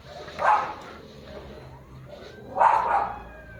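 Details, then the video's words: Two separate barks from a German Shepherd, recorded 6 October 2025, roughly two seconds apart over a low background hum. "German shepherd"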